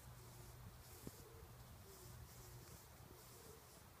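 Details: A bumblebee (Bombus ignitus) sucking nectar inside wild rose (multiflora rose) flowers hums with a deep, steady drone that swells and fades in brief bursts as it moves about, with faint rustling and soft outdoor hiss behind.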